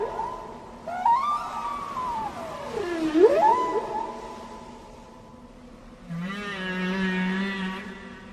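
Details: Gray whale (Eschrichtius robustus), call.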